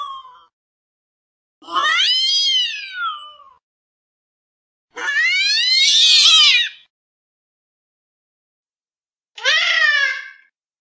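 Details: A fluffy pet cat watching from a window sill produces three separate meows, arched and rising then falling in pitch, the middle one loud and harsh, with quiet gaps of a few seconds in between.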